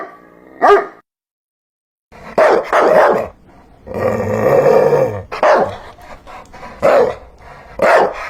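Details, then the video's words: Dog barks mixed with growly, noisy bursts and a longer rough vocal passage, after a short silent gap near the start. "Hear the sound of a dog barking"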